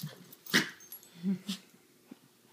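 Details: Puppy at play: a sharp, bright yelp-like burst, then a short, low, rumbling growl, a quieter grunt after it and faint scuffling clicks between sounds.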